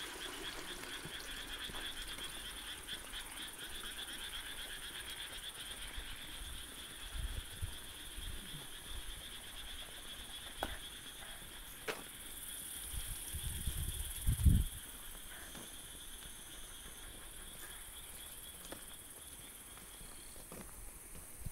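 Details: Frogs calling at night in summer near rice fields: a soft, continuous chorus under steady high buzzing bands, with scattered clicks and a few louder knocks.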